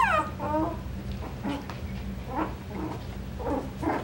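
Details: Coton de Tulear puppies from a breeder's litter whimpering and yipping indoors, a falling whine at the start followed by a rapid, irregular string of short squeaky cries over a low room hum.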